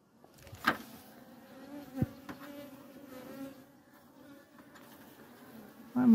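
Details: European hornets (Vespa crabro) at an apiary, in an area where many of them attack honeybee colonies, hum in a steady low droning buzz with layered overtones. A few sharp knocks break in, and a louder rustle comes at the end.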